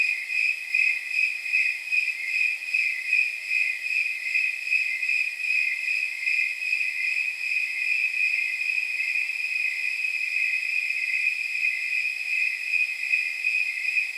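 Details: Snowy tree crickets calling after dark, temperature near 79 degrees; high metallic chirps pulse clearly and regularly at first, then merge into a steadier ringing drone before the beat returns.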